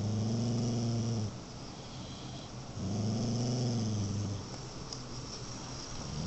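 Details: A Beagle mix growling in two low rumbling bursts, each a bit over a second long with a gently rising and falling tone, separated by a quieter gap.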